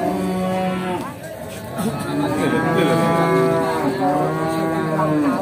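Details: Pegon cattle at the Bekonang livestock market in Sukoharjo, Indonesia, including a prized Pegon calf brought for sale; several long harmonic moos rise and fall, overlapping, with background music and market chatter.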